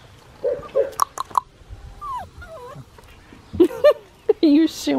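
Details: Australian Shepherd puppy, a black tri male aged six and a half weeks, at a breeding farm in Oklahoma, giving high, wavering whimpers and short yips that bend up and down, interleaved with a person's affectionate praise.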